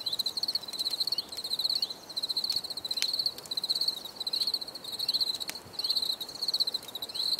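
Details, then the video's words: Several crickets chirping together, dense high trilled bursts repeating without pause, with scattered clicks and brief sliding tones in the background. "Bruit de Grillons"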